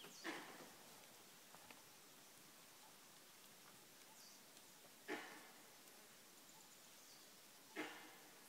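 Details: Early morning in March at Kanha National Park, a langur barks in alarm at a nearby predator: three abrupt, coarse calls spaced several seconds apart against a quiet background hiss.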